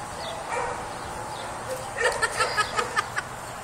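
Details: Scamp, a rough coat Jack Russell Terrier, two years old and neutered, at tug play. After a quieter start, a rapid run of about seven sharp, high yips comes evenly spaced near the end.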